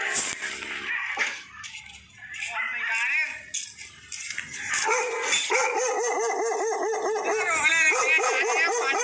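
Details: Bakarwal dog (Canis lupus familiaris), bark: barking at a stranger.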